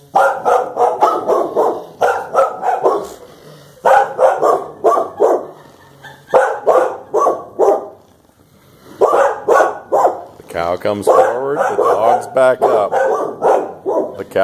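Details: Pair of Clumber Spaniels confronting a cow, barking in dense, overlapping volleys of harsh mid-pitched barks, near continuous with one brief lull, ending in a louder, rougher flurry.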